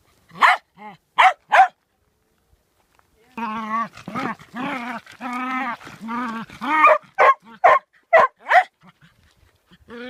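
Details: Three sharp barks open the recording of a playful dog that plays with stones. A pause follows, then a string of drawn-out, wavering yowls, and the clip ends with more short, quick barks.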